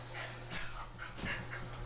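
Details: Female dog named Cricket, frightened and fighting during an attempt to shave her matted fur indoors; two thin, high-pitched whining whimpers, the first longer and strained, the second shorter, over a low steady hum.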